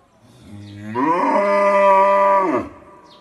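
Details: Black cow giving a single drawn-out moo of about one and a half seconds. It opens low, swings upward, then holds a steady, rich, harmonic tone before cutting off. The background is quiet.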